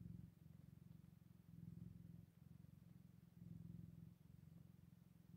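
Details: A Scottish Fold cat, on day 8 after a litter of kittens was born, purrs in a low, steady rumble that swells and fades in slow waves.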